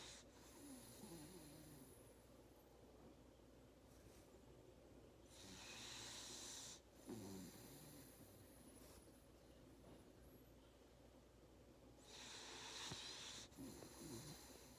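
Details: Labrador Retriever (Canis familiaris), snoring.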